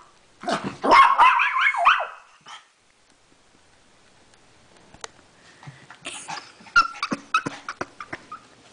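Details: Pet dog reacting on finding another dog in the house, giving a quick burst of sharp, harmonic barks and yips in the first two seconds, then near silence broken by scattered clicks and taps.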